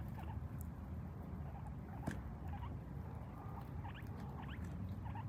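Guinea pigs keep up a low, rumbling run of soft clucks known as chutting, with a few thin squeaks rising above it. The sound marks contented, happy animals.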